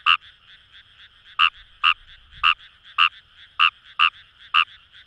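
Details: Rice-paddy chorus of Fejervarya kawamurai at Itoshima, Fukuoka, Japan: after a pause, eight bright, raspy croaks follow about every half second over softer overlapping calls from neighbouring frogs.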